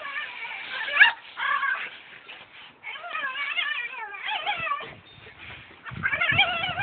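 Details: Domestic dog vocalizing oddly at a brush, giving a near-continuous run of yodel-like whines whose pitch undulates rapidly, broken by brief gaps and ending in a louder wavering burst.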